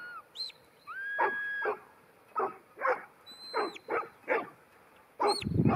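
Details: Ten-month-old female New Zealand Huntaway giving a series of loud, rough barks about every half second, interleaved with drawn-out high shepherd whistles and a short whistle call, ending with a burst of low rumbling noise.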